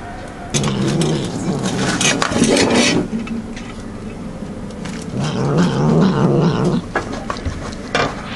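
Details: Cat eating and guarding its food, giving low grumbling growls in two main bouts, rough and pulsing, mixed with clicks and chewing noises between them.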